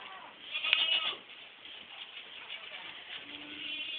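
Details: Young goat kids from a 2010 crop bleat in a short, high, harmonic cry near the start, followed by quieter background bleating and rustling.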